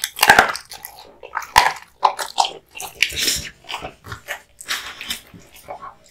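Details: Kotetsu, a male American Bully born 2016, chewing hung raw meat and bones indoors; irregular wet crunches and bites in uneven bursts, some sharp cracks, with quiet pauses between.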